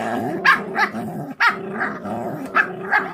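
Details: Feral dog puppies, born to a mother that does not care for them, growl in rough, breathy bursts about twice a second while eating, over a low continuous rumble of chewing and movement.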